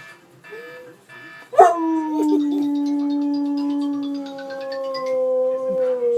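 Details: Pet dog howling at iPhone ringtones: a few short tonal ringtone notes open, then a loud, sustained howl holding steady for about four seconds, with a second, wavering howl rising over it toward the end.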